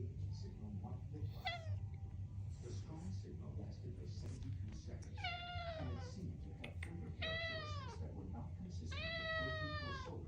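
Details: Pet cat meowing persistently because it wants food: four drawn-out, harmonic meows that rise then fall, spaced a few seconds apart, over a steady low indoor hum.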